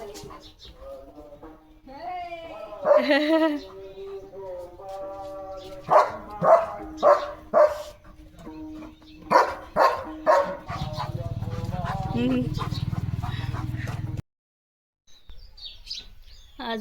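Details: Leo, a pet German Shepherd, romping at home in the morning; short harmonic barks in two quick bursts of about three or four, roughly one per second, mixed with people talking, laughter and background music.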